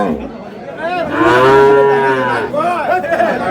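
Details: A cow lows at Aftabganj cattle market in Dinajpur, where improved-breed dairy cows and calves are on sale. One long, deep moo swells and fades over about a second and a half, with market chatter and voices before and after.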